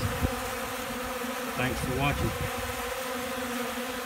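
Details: Hungry honey bees feeding from a keeper's hand in Central Alabama: a steady droning buzz holds throughout, with a brief spoken phrase in the middle and a low wind bump.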